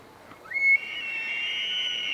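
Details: A bull elk bugles during the rut, a high whistle that slides upward and then holds a long, steady piercing tone.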